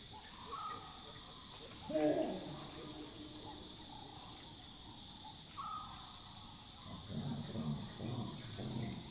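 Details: Chacma baboons at night in the African bush: one sharp bark near two seconds, then a run of low, throaty grunts toward the end, with a constant insect drone and faint whistled notes behind.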